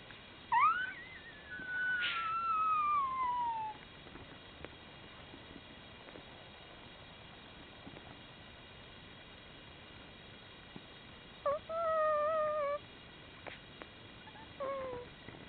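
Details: Newborn Komondor puppies, one day old, letting out high whistled squeals that slide downward. A long falling cry is followed by a quiet gap, then two shorter wavering whimpers near the end.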